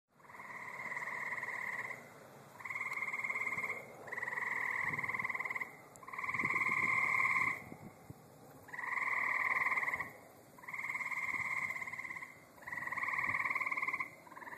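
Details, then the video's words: Tree frogs in a back yard give long, buzzy trills, each lasting about a second and repeated every couple of seconds. "Sounds of my back yard! Tree frogs"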